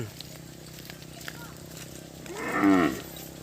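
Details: Startled cattle scattering without getting to drink water; one short moo near the end, a harmonic call that rises then falls in under a second, over a low steady hum and faint human talk.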